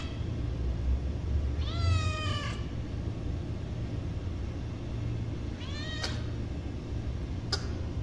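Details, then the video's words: Hungry kitten giving a long wavering meow near two seconds, then two short cries later, over steady low background rumble. "Poor baby Cat feeling Hungry"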